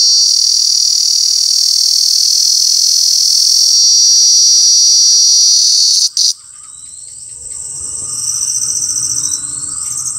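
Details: Cicada in Alaveddy, Jaffna: a loud, ear-piercing continuous high hiss for about six seconds, then a sudden cut and quieter scene with repeated rising thin whistled sweeps and a low background rumble.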